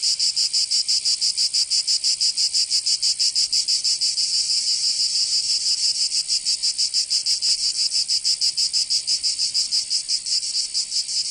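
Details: Cicadas singing in summer in Provence, southern France: a dense, high, buzzing drone pulsing steadily about three times a second, with a layered chorus of insects and no other sounds.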